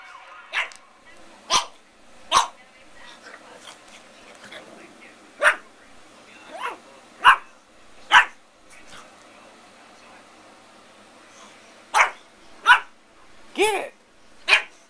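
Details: Zoey, a Pug puppy around 9 to 12 weeks old, filmed indoors. Sharp, high barks come in an uneven series of about a dozen over fifteen seconds, with one rising whine near the end; a person talks softly between them.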